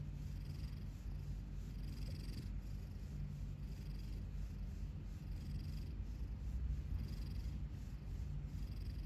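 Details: Sleeping cat lying with its mouth open because a tooth caught on its lip; a steady low rumbling breath with soft airy hisses that return about every one and a half seconds, and no other sounds.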